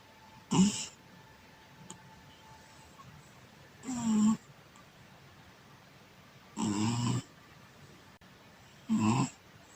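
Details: Domestic cat sleeping on its back, snoring in four broad rasping breaths spaced about two to three seconds apart, each lasting under a second, in a quiet room.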